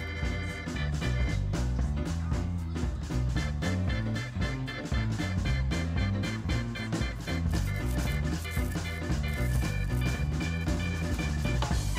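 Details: Upbeat swing-style music with brass and bouncing bass plays throughout, and no animal sound comes through.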